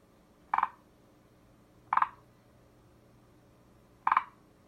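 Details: Three brief pulsed croaks from a forest green tree frog, each a fast stuttering rattle, arriving at uneven gaps of roughly one and a half to two seconds over a faint low hum.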